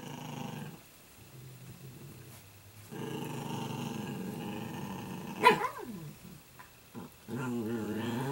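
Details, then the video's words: Italian Greyhound puppies playing indoors, one about nine months old: low rumbling growls in long stretches, a sharp yelp near the middle, then more harmonic growling at the end. "Italian Greyhound Puppy Playtime"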